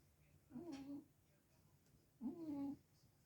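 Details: Sphynx cat, warmed up and fast asleep at home, snoring loudly: two voiced, buzzy breaths with a low humming tone, about a second and a half apart, against a quiet indoor background.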